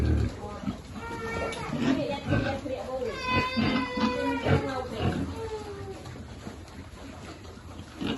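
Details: During a feeding, a piglet at a pig farm lets out a burst of high, wavering squeals around the middle, between lower grunts, with people talking nearby.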